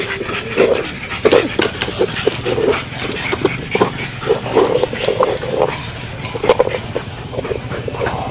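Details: Pug dog snorting and panting hoarsely, a steady run of short, rough nasal puffs repeated about every half second, some louder and raspier than others, with faint handling noise.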